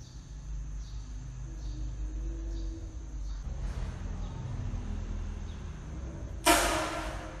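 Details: A baby kitten meeting a rabbit for the first time lets out one sudden, sharp breathy hiss near the end, over a steady low rumbling hum.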